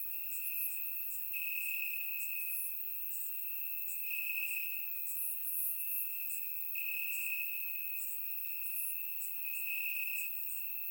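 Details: Crickets chirp at night amid summer grass in Bulgaria; a sustained high trill swells and fades in waves, while quicker, higher staccato chirps from other insects sprinkle the background.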